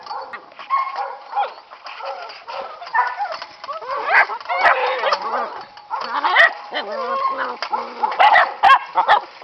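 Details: Playing Catahoula puppies, aged 9 and 7 weeks, tumble about on a farm, giving a near-constant tangle of overlapping yaps, whiny squeals and grumbling growls from more than one pup.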